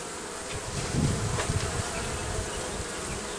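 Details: Bees nesting under the roofing make a continuous humming drone, with a low rumbling thump swelling briefly in the middle.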